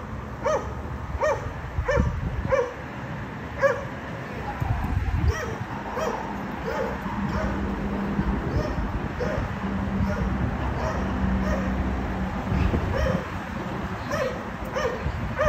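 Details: Dogs at a condominium barking in a way that disturbs the neighbours, an unbearable noise that happens three times every day: steady, evenly spaced sharp barks repeated about twice a second over a low background rumble.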